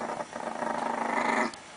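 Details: Chihuahua in Russia guarding its pancakes, giving a rough, pulsing growl that throbs rapidly for just over a second before cutting off.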